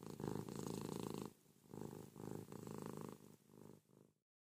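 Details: Pet cat Ruby, snuggled with her owner in bed in the morning, gives a noisy rumbling purr, first a long loud phrase, then shorter, quieter phrases fading out at the end.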